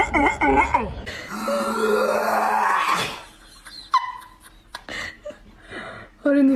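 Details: A dog makes wavering, moaning, talk-like grumbles and a rising whine, as if complaining, while a person speaks.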